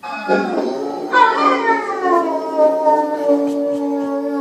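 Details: Pit bull howling: a long, loud, tonal howl that climbs at the start, then glides slowly downward and holds steady. The howl is rich in harmonics and sustained for several seconds.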